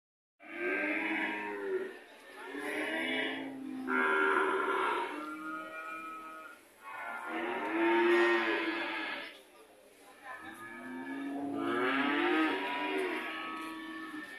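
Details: A red cow lowing in a series of long, deep moos, each drawn out for several seconds with rich harmonics, separated by short pauses, four calls in all.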